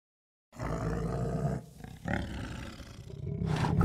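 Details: Deep, rumbling growl from an Asiatic black bear in Vietnam's wild forest, starting abruptly after a short silence, with a steady low droning tone, brief harsher bursts, and a louder rasp at the end.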